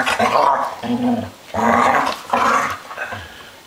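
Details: Three dogs at play indoors, a run of noisy growling and whining bursts of about a second each, separated by short pauses, in a small room.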